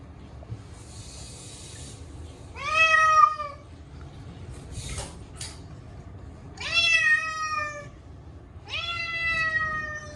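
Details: Chacha, a short-legged Munchkin cat, screams through a yearly bath with catnip-scented cat shampoo. Three loud drawn-out meows, each starting with a quick rise then sagging, spaced several seconds apart, with splashing and rustling between.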